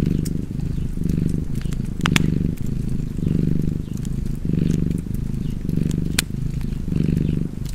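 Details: Cozy domestic cat purring beside a fireplace: a deep, steady low rumble that swells and eases in alternating breaths about once a second, with sharp crackles and pops from the fire scattered throughout.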